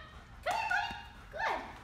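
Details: Scottie, a two-year-old reactive German Shepherd on day one of training, reactive mostly toward other dogs, lets out two short tonal yelps about a second apart, each rising sharply then sliding down, with a quiet background between them.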